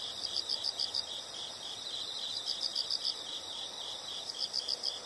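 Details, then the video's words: Insects calling with short rapid bursts of high, bright chirps, about four to six notes per burst, over a steady high insect hum and soft background hiss. "the sound of insects"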